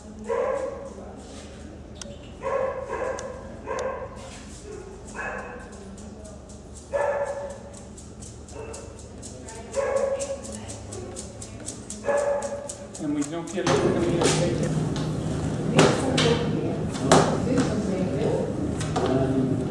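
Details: Pam, a five-year-old female Boxer recovering at home after spinal surgery for a meningioma; short barks repeated about once a second for the first thirteen seconds, then louder broadband rustling noise.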